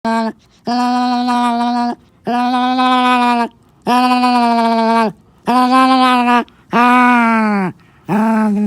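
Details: Onyx, a black Morkie, makes devil-like noises while guarding his toy when someone comes too close: long, steady, droning moans held about a second each, repeated six times with short silent breaks, the last one wavering upward.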